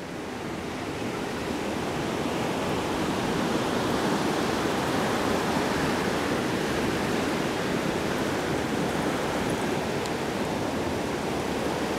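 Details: Continuous roaring surf on a beach, mixed with wind buffeting the microphone.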